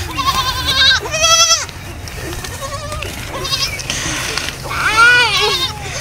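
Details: Baby goats playing, running and jumping; several high wavering bleats with rising and falling pitch, some long and quavering, over faint background noise.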